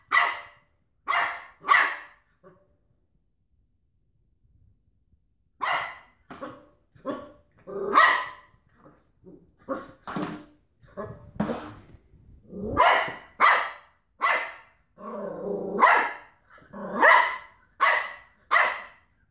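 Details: Cocker Spaniel wrestling with a washing tablet carton: quick triplets of sharp barks, a quiet spell, then a busy stretch of rapid barks with one drawn-out low growl in between.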